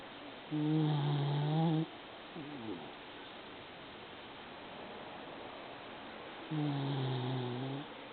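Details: Female Maltese kept as a pet, heard snoring like an old man. Two drawn-out, low, rumbling snores about six seconds apart, with a softer sliding breath between them in a quiet room.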